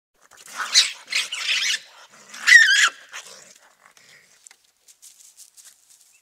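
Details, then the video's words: Raccoons fighting at night: two bouts of harsh, raspy snarling and screeching, the second with a sharp squealing cry, then near silence with a few faint clicks. "Raccoons fighting real sound at night"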